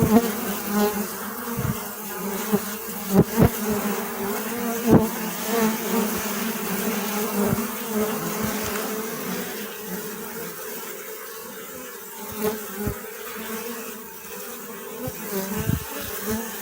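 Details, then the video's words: Sustained swarm-like buzzing of many bees, a constant low drone with harmonics, interrupted irregularly by brief loud close passes and faint clicks, easing slightly toward the end. "أصوات النحل . صوت النحل.طنين النحل.Bee Sound Effect"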